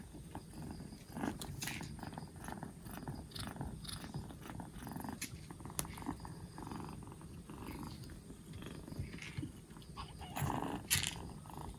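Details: Purring from a black Bombay kitten aged two months, four days after rescue and recovering well from a cold: a soft, low rumble runs throughout beneath scattered clicks and rustling handling sounds.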